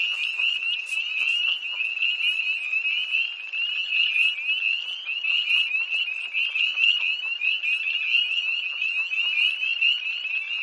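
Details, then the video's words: Many tree frogs in an early-March night chorus beside a pond near Hillsborough, North Carolina, 2011: shrill rising peeps pile up without pause into a steady high wall of sound, some calls slightly louder and nearer. "Early Tree Frogs"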